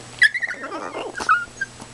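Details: Precious the female Chihuahua, excited and demanding, gives high-pitched whimpering yips and short squeaky whines in quick bursts, with a person's voice in the background indoors.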